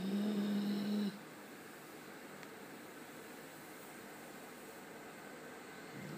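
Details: Thor, a pet Labrador Retriever, snores while napping: one raspy, rumbling snore in the opening second, carrying a steady low tone under a thin higher hiss, then quiet breathing and faint room noise.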